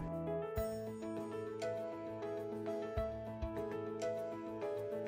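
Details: Steady instrumental music with bright, repeating keyboard-like notes and a soft ticking beat; no animal voice is heard.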